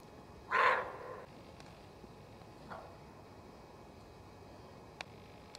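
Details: Alarm bark of a nervous female roe deer in woodland, warning of danger: a single rough, explosive bark, a much fainter echo-like bark about two seconds later, then faint clicks over quiet forest background.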